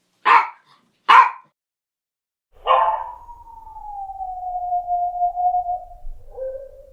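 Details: Dog barking twice in quick succession, then drawing out a long, smooth howling note that slowly falls in pitch and ends with a short lower tail.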